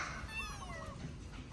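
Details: Abandoned baby kitten being fed its first safe meal, given kindness and care; one thin, high meow that slides downward and fades over about half a second, set against low background rumble.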